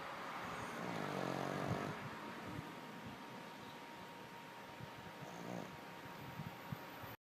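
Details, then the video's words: Dog named Lulu asleep and snoring, a rough buzzing inhalation early on and a shorter one later, with a constant low hum underneath. "Lulu snoring like a dude"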